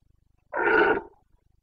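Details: Carpathian red deer stag in the Bucovina mountains, Romania, during the September breeding season rut: a single harsh, broad roar of about half a second, rich in stacked harmonics, against a quiet background.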